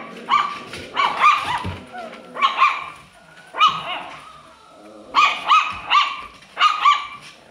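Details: Alaskan Klee Kai puppy yapping in short bursts, single and paired high yips each ending in a brief whistled upturn, separated by short quiet gaps.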